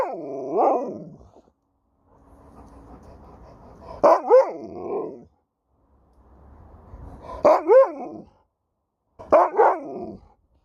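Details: Sherpa, an Alaskan Malamute, answering back mid-conversation: three or four short, yodelling woo-woo vocal bursts that swoop up and down in pitch, separated by pauses and quiet room sound.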